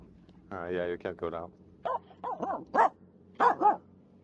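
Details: A Finnish Spitz out on a jetty in a bay on 13 August 2022 barks at everything and nothing: a drawn-out whining yelp, then a run of short, sharp, irregular barks.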